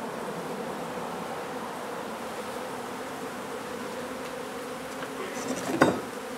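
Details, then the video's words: Droning mass of honey bees at a hive removal in an old renovated home in Donna, Texas, on a hot day; the buzz stays steady and dense, then a short clatter of handling near the end. "Honey Bee hive removal in old home in Donna, TX"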